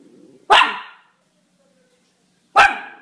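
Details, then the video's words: Miniature Schnauzer barking: two loud, sharp single barks about two seconds apart, with quiet gaps between them. "Miniature Schnauzer Barking Sounds"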